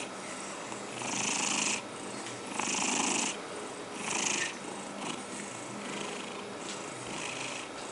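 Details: House cat being combed keeps up a low, even, rattling purr, overlaid by three loud, airy comb strokes spaced about a second and a half apart, then quieter brushing.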